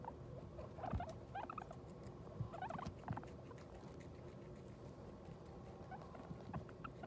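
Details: Guinea pig after giving birth to New Year's pups: small bursts of short, bright chirps near the start and again a moment later, then quieter scattered squeaks over soft bedding rustle.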